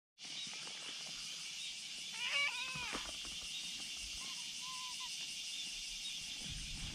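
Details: Kitten lying on a bridge calls a black cat over with a single cry, and the black cat comes. A brief arched meow, rising then falling, is followed by a fainter thin mew, with a steady insect drone throughout.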